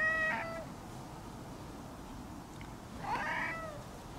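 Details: Orange-and-white cat at a temple meowing as it runs up to greet visitors: two clear, tonal meows about three seconds apart, the second longer and rising then falling, over quiet outdoor background.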